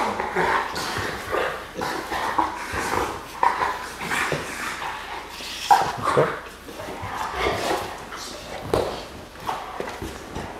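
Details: A male Bullmastiff talks while play fighting with his owner: low, grumbling, voice-like vocal sounds in uneven bursts, mixed with a person's speech and laughter near a garage.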